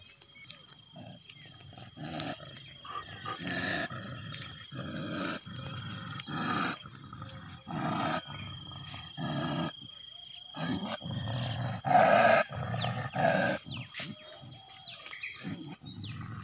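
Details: Two angry desi dogs fighting, giving harsh, broadband snarling growls in irregular bursts roughly every second, with short gaps between, over faint chirping birds and a steady high-pitched whine.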